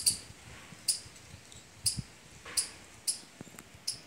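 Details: Squirrel calling among mango and litchi trees in fruiting season, giving sharp, high, clicking chirps repeated roughly every 0.7 seconds, six in quick series, over a faint steady background hiss.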